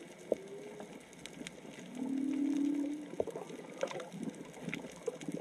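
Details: Whale song heard underwater while snorkelling off Onna village, Okinawa, with probably three to four whales calling: a sustained low moan that rises slightly over about a second, one brief higher tone, and scattered clicks and crackles.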